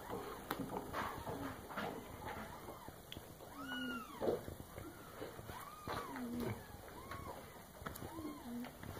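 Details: Young female cat, under nine months old, drinking milk indoors near a bathroom, gives several short rising-falling meows spaced a second or two apart, over a woman's soft speech and faint household noise.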